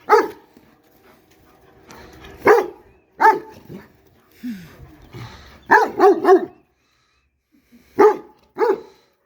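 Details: A big dog throwing a temper tantrum, giving short, harsh harmonic barks in irregular bursts, including a quick run of three or four around the middle and two more near the end, with a person speaking.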